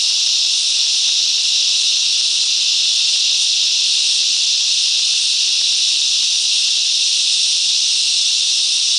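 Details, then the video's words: Chorus of cicadas in mangrove bushland at Coffs Harbour, New South Wales, Australia, singing together: a dense, continuous high-pitched buzz, even in loudness throughout, with no pauses and no other voices. "Cicadas Song"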